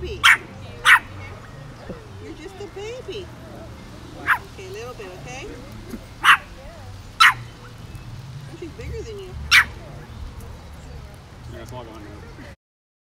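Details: Shih Tzu on vacation, on its first day in Monterey, California, giving six sharp, short barks at uneven intervals over about twelve seconds, with a person talking and cooing between them and a low steady hum underneath.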